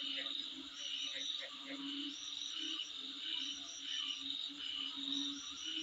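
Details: Outside a home, insects keep up a continuous high ringing buzz broken by quick repeated chirps, with deeper pulsing notes swelling in short bursts underneath.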